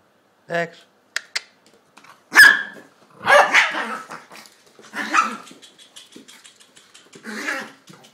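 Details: Two-year-old Chihuahua and eight-week-old English Staffordshire pup playing together indoors: sharp yaps and short growling barks in bursts, with a person speaking in between.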